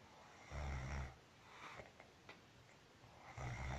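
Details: Marusya, a pet cat, snores while asleep indoors: two low, rumbling, buzzy snore breaths roughly three seconds apart, each about half a second long, with quiet room noise in between.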